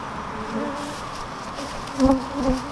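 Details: Honey bees around a beekeeper who was stung once: a low, droning hum, with a bee passing close and swelling louder twice near the end.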